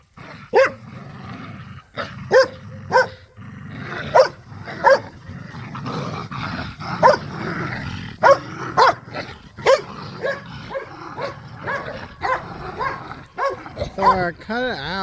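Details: Pit bulls and a Malinois romp and play tug of war with a squeaky toy across a yard; continuous growling and snarling runs beneath a dozen sharp squeaks, ending in a rapid wavering squeal.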